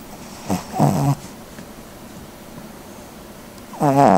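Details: A sleeping Cavalier King Charles Spaniel snores in two short rasping, buzzy bursts with stacked harmonics, separated by about three seconds of quiet room hiss.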